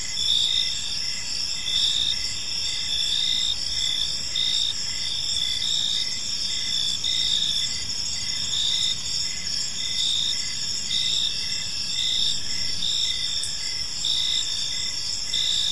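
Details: Many crickets chirp together in a park as evening falls, their sharp, high, unbroken trilling stacked in bright bands, beating gently in short rhythmic pulses over a quiet low background.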